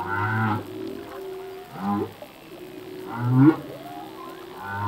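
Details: Male humpback whale singing underwater, part of a full-length song: low moaning units near the bottom alternate with upward-sweeping whoops and rich harmonic cries, roughly every one and a half seconds, over a steady ocean hiss.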